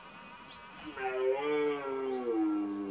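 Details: Twelve-point red deer stag roaring during the 2018 rut: a drawn-out harmonic bellow that swells after a second, holds for about a second and a half, then slides gently downward as it fades, with faint high chirps above.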